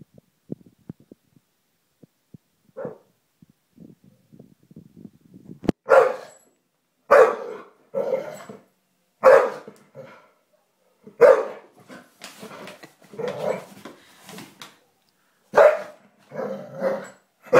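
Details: Bull Terrier playing with a hobby horse, letting out deep gruff barks and growling woofs in irregular bursts about every one to two seconds after a quiet start of soft snuffling and small thumps.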